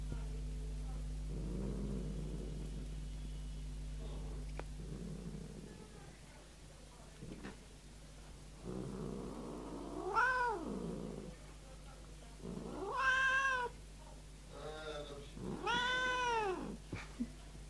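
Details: Very angry large house cat ready to attack its owner, indoors: low rumbling growls in the first seconds, then three drawn-out, wavering yowls rising and falling in pitch, each about a second long, over a steady electrical hum.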